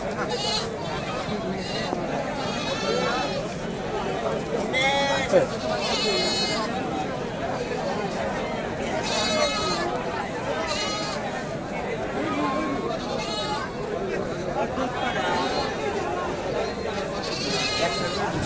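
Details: Goats at a crowded market in Bangladesh in 2019, several wavering, nasal bleats rising above steady human chatter, some calls overlapping, others spaced a second or two apart.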